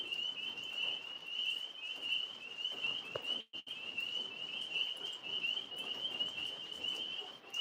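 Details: After a rainy day, tree frogs up in a maple tree call together in a steady, high-pitched trilling chorus, with two Alaskan Malamutes nearby.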